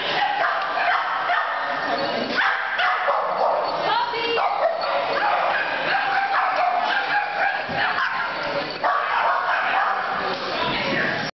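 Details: A Boston Terrier, excitedly making new friends at a Santa Paws event, gives yips, short barks and whimpers, with people talking throughout.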